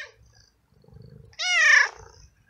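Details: Abandoned street tomcat in heat, cared for and fed by a passerby, gives one strong, slightly rising then falling meow lasting about half a second, preceded by soft low murmurs and quiet surroundings.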